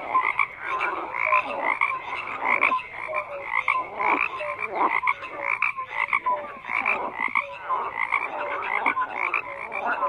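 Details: Many frogs calling at once: harsh, pulsing croaks pile into a constant chorus, broken by short piping tones from individual callers.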